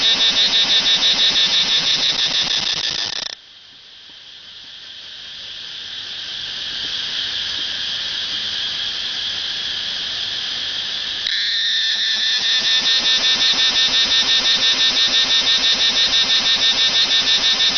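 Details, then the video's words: Cicada in front of a house in Pathum Thani, Thailand, gives a loud, harsh, pulsing buzz that drops to a steady drone, then pulses again. "Cicada sound ดูการสร้างเสียงของจั๊กจั่น ถ่ายจากหน้าบ้านปทุมฯ"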